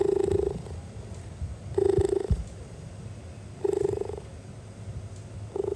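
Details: Cheetah purring, louder than a house cat and a sign of contentment: steady pulsed low rumbling bursts of roughly half a second, repeating about every two seconds with quieter breathing gaps between.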